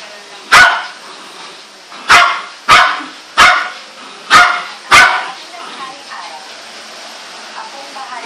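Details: A four-month-old female Golden Retriever puppy, tied up because the other dogs get angry at her, gives six sharp, high barks at uneven intervals.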